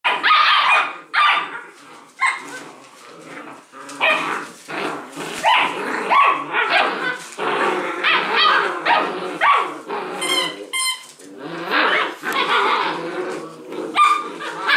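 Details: Six-week-old Leonberger puppies playing tug of war with a toy in a noisy litter of 13, giving dense overlapping high yappy barks and squeals with growls, with other pups barking in the background.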